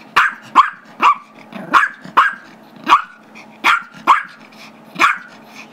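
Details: Gizmo, a Chihuahua/Yorkie mix, barking insistently because he wants the squeaky toy his brother holds; rapid, piercing yaps close together, around one per second or faster, a few in quick pairs, faint growling underneath.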